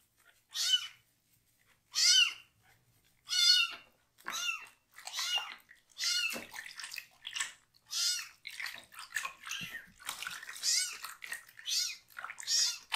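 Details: Young rescued kitten, Tare-chan or Botchan, meowing loudly while its lower body is washed with shampoo but staying calm; a steady run of about ten harmonic meows, each rising then falling, spaced around a second apart.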